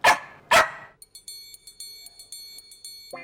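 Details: Lilly, a loud, aggressive female Bichon Frise with constant barking, gives two sharp, quick barks, followed by a high, pulsing electronic tone.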